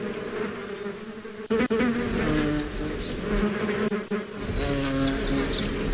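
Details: Bees buzzing in a relaxing nature recording, a steady low drone with harmonic bands and individual insects passing close by, brief louder fly-bys and faint high chirps in the background.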